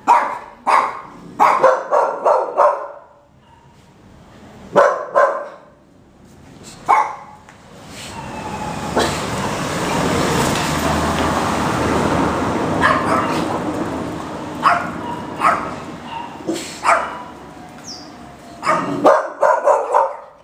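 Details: Five-month-old female Boxer puppy giving bursts of quick barks at the start and end, separated by a long stretch of broadband rumbling noise like a passing vehicle in the middle.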